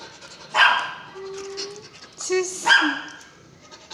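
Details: Belgian Malinois barking twice, sharp and loud, with a thin drawn-out whine between them, as a person orders it to go inside.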